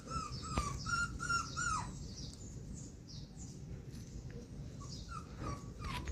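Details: Young poodle puppy climbing out of a box: a run of short, high whining yelps in the first two seconds, then scattered softer whimpers, with a person's voice and low room noise throughout.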